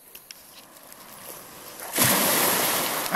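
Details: On a beach, faint background hiss gives way to a loud wash of breaking surf, with no barking or other animal calls.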